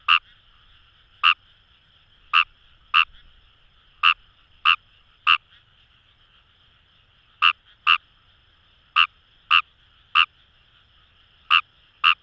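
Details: Fejervarya kawamurai croaking in rice fields of Itoshima, Fukuoka Prefecture, Japan, near the Kamo River; around sixteen short abrupt calls in loose clusters with gaps, over a faint unbroken chorus of other frogs.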